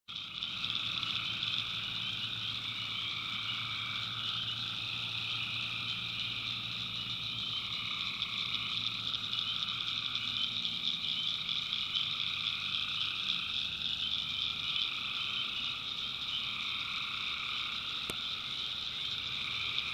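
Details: Tree frogs calling at night in the backwoods of North Carolina, a dense, unbroken chorus of many overlapping high trilling voices in several steady bands, some layers fading and returning every few seconds, with a faint low hum beneath.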